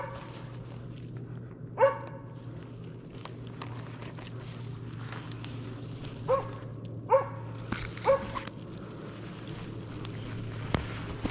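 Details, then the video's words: Slovakian hound Arrow barking at a stationary wild boar on a driven hunt in Sweden, November 2022. Five sharp barks come irregularly, one early, then a quicker cluster of three, over a low steady drone. "Slovački kopov - držanje u mesto"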